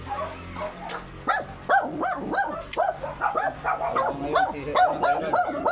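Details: Very small Shih Tzu in Pangasinan, Philippines, during a stud session, giving a rapid run of short yipping barks, about two per second, with faint speech and room noise in the background.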